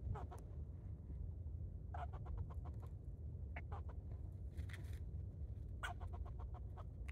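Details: Barking squirrel jumping from tree to tree, giving bursts of quick, rasping chucks in rapid runs, clustered in three or four bouts across several seconds, against a continuous low rumble.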